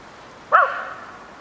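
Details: Atticus, a Tibetan Terrier, playing in the snow at Abetone, Italy, on 10 March 2012, gives a single short bark with a sharp onset and a lingering echoing tail, against a quiet background.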